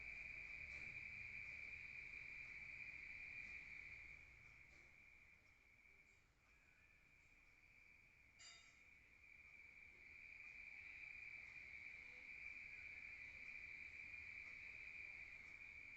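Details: At night in a rural area, crickets keep up a high, even trill that dips in loudness midway and then returns, with one brief click in the middle.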